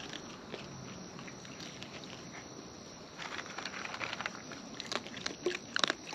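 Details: Wild raccoon eating up close: quiet at first, then rapid crunching and munching clicks grow louder and denser in the second half, over a faint high hum.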